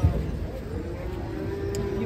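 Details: Black cattle raging while being unloaded from a truck; a sustained low, even moo held for over a second, over a rumbling engine.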